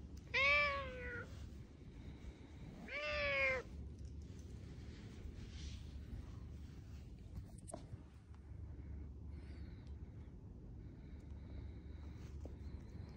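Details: Domestic cat walking side by side with its owner in a Tokyo park, Adachi ward, Japan, on 2 December 2022; two clear drawn-out meows, each arching down in pitch, about two seconds apart, over a low background hum.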